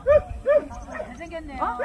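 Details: Jindo dog at a Korean Jindo dog show gives two quick yapping barks half a second apart, then fades into background chatter and voices.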